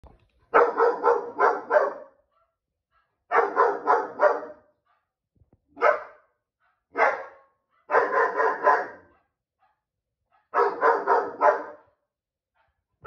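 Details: A domestic dog barks at a dog on TV: loud, harsh, mid-pitched barks in rapid runs of three or four every few seconds, with lone single barks between, no other sound; dog.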